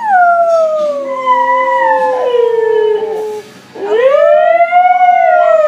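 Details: Siberian Husky Beatrice howling at home: a long drawn-out howl slides slowly downward for over three seconds, breaks off briefly, then a second howl rises and levels into a sustained, wavering tone.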